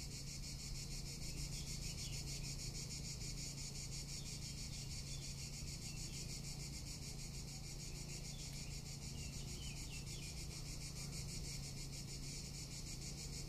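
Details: Summer cicada chorus in Tuscany: an unbroken, high, rasping buzz with fast regular pulsing, over a faint low hum.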